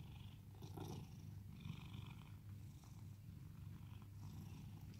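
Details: Pet cat at home in Cooktown, Queensland, Australia, purring contentedly as it is patted; a continuous deep, even rumble, with light handling rustles near the start.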